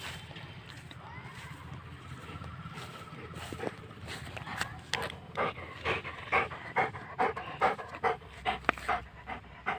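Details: Saint Bernard dog playing with a ball, panting in quick breathy bursts that grow louder and more regular in the second half, about 140 per minute, with a faint low hum underneath.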